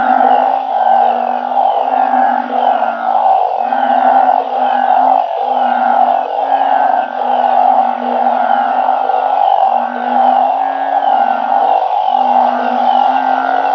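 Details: Dense night chorus of banded bullfrogs calling with balloon frogs, kept in a backyard organic garden in Thailand. Steady droning hum with a low pulsing layer that swells and dips every second or so, with no gaps.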